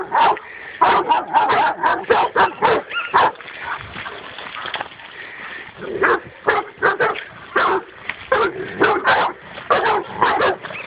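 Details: On first meeting a wild boar, a dog barks excitedly in quick, irregular volleys, close to two barks per second, with a pause midway before the barking resumes.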